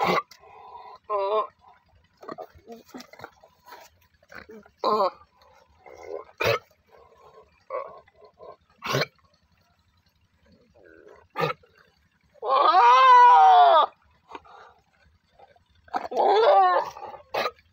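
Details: Goat giving a long, loud, quavering bleat with a shaky, wavering pitch, then a shorter bleat; softer murmurs and sharp clicking knocks come before it.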